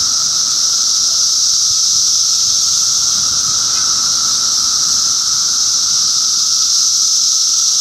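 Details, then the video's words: Cicadas in Middlesex County, New Jersey, June 2013, filling the air with a constant high hissing drone and a steady lower whine, the massed chorus never letting up. "Cicada Symphony"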